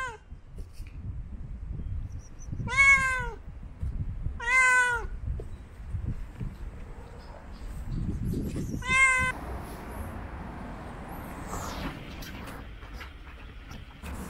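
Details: Hungry black stray cats fed on a city street: three clear meows, each a short curved cry, the first two about two seconds apart and the third near nine seconds, over steady street noise and traffic rumble.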